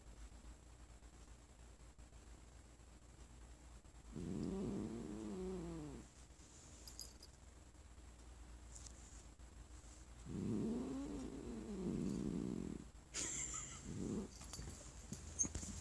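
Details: A lap-sitting female cat named Sonora grumbles when stroked, having turned irritable after her sick owner coughed. Two sustained, throaty growls of about two seconds each, separated by silence, are followed by a brief final rumble and faint rustling.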